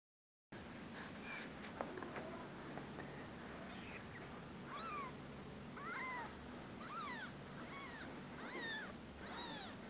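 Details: Rescue cats meowing: after a brief silent start and some clicks and knocks, a series of short, high, arched meows begins near the five-second mark and repeats roughly every second, over a steady low hum.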